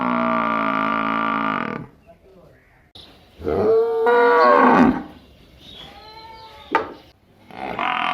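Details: Village cattle and buffalo give drawn-out, harmonic moos, some steady and some bending up then down, over background music.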